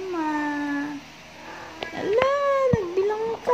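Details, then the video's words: Pet cats meowing indoors in a small room: a steady tonal mew that holds level for about a second, then after a pause a rising-and-falling drawn-out meow with a lower tail, over faint background music. "Talking my amazing Cats"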